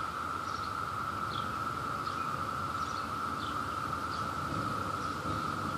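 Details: Brood II periodical cicadas at their peak in New Jersey, chorusing as they search for love: an unvarying buzzing drone throughout, with light high chirps dotted across it at irregular intervals.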